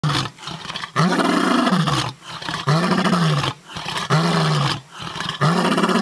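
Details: Lion roaring in Kruger National Park, Londolozi, South Africa; long deep moaning roars, each about a second, arching low and repeated in a slow series with brief breathy pauses between.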